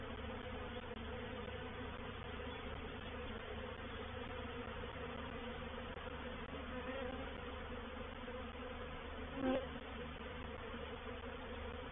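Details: Reproductive honey bee swarm settling into a bait hive at Painted Peacock Manor; faint even hum of many bees, steady throughout, with one brief louder tick near the end.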